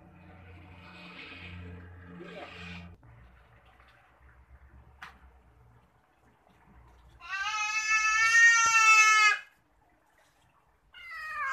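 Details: Cat during a bath lets out one long, loud, drawn-out wailing meow lasting about two seconds, then a second call begins at the end; low rumbling water-like sounds and faint knocks come first.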